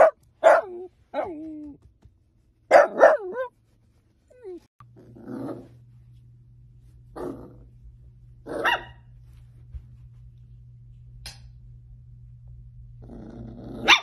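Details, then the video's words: Miniature dachshund at play lets out a series of sharp, high yips and barks in quick bursts early on, then spaced single barks over a steady low hum, with a final bark at the end. "Funny Miniature Dachshund NONSTOP playful Instagram Videos compilation 2021"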